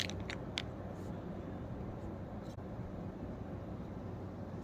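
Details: Low indoor rumble with a few short crunching and scraping knocks, and no animal voice.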